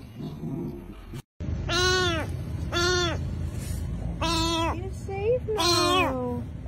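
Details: Rescued stray kitten from a public street, hungry, meowing loudly and repeatedly: four bright harmonic mews about one second apart, each slightly falling, with a short quieter chirp between the last two.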